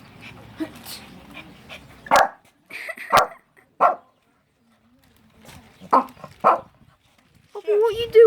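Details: A Shih Tzu gives sharp, high yapping barks in short bursts as a reaction to a person's fake sneeze, with the person talking nearby.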